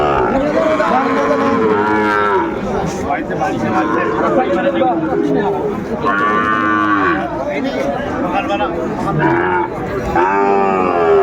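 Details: Sahiwal bull calves at a cattle market in Manikganj, Bangladesh, 30 December: several short, arched, tonal bawls about every two to three seconds, overlapping loud crowd chatter and trader voices.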